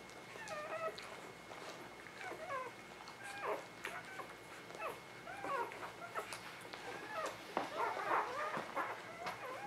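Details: Newborn puppies of the Ava Jericho litter, spring 2017, give a busy run of overlapping thin, wavering whines and squeaks, several pups calling at once, over a steady high electronic tone and soft room hiss.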